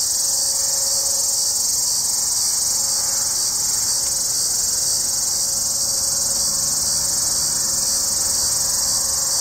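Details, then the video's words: Steady, unbroken high-pitched buzzing from a Hadoa duryi cicada hidden in junipers a few miles south of Walsenburg, Colorado, July 2, 2012, early afternoon after a sunny sky turned overcast; the shrill drone stays level throughout. "Hadoa duryi (formerly Tibicen duryi) cicada"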